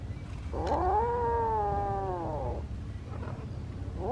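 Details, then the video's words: Kitten meowing as if wanting to tell something: one long drawn-out harmonic meow lasting about two seconds, rising then slowly falling, followed by quiet and the start of another call, over low background rumble. "何かを訴えたいときの猫の鳴き声 子猫"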